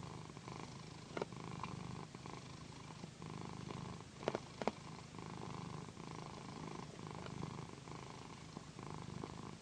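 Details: Loud, mellow purring from Pandy, a pet cat relaxing under a satin pillow massage indoors; a continuous low throbbing hum with faint clicks and rubbing sounds of fabric.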